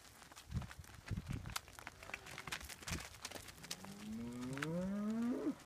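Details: Highland cattle herd with Whitebred Shorthorn calves moving to a new field; scattered thumps and shuffling, then a single rising moo swelling over the last two seconds.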